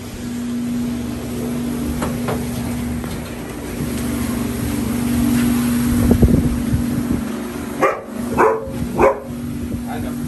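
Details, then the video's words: Protection dog checking outside a house at night after someone tapped on a girl's window; a steady low mechanical hum runs throughout, then a burst of three or four sharp, loud barks near the end, with brief voices. "Someone Is Tapping On My Girls Window Using Protection Dog To Check The Outside"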